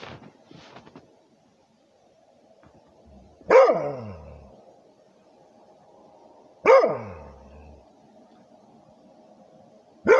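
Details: Rhodesian Ridgeback barking for its territory: three sharp barks roughly three seconds apart, each dropping in pitch, over a steady low hum in the background.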